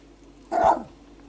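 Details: Four-week-old male Whippet pup Kestrel tries out his voice with a single short, sharp yip, loud and abrupt, then quiet room hum.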